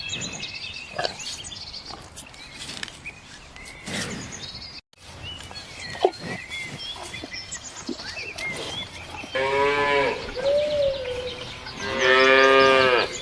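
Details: Cow lowing twice near the end, a long harmonic moo sliding slightly up then down, then a louder, rougher moo; before them mostly faint background noise with scattered bird chirps and clicks.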